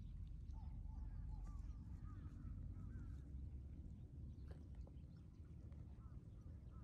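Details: Shiba Inu Ranmaru behind a fence in his room at the office, greeting visitors with high 'pii pii' whines as a meeting begins: short rising-and-falling whistly notes in quick series over a steady low hum of room noise.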